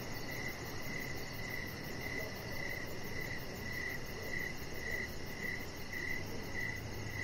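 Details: Outdoor evening crickets by a deck: a steady train of bright, even chirps, about two per second at a constant pitch. A fainter, higher pulsing trill runs continuously behind them over a low background noise.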